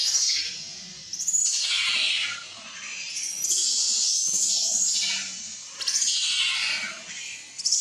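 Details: Baby monkey named Leo crying at its mother, begging for milk while hungry; shrill, high-pitched wailing screams come in three long loud bursts, each falling and wavering, with short quieter gaps between them.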